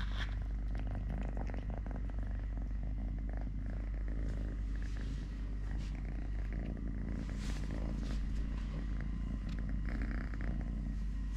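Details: Totoshka, a three-legged domestic cat, purring while eating, playing, walking and play-fighting with a hand: a steady, low rumbling purr running unbroken throughout, with light rustling and handling noises scattered on top.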